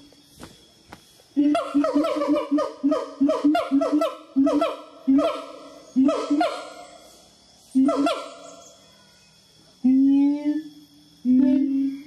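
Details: A siamang vocalizing, described as "telling stories," gives bursts of short, honking barks, then two longer, drawn-out hooting notes.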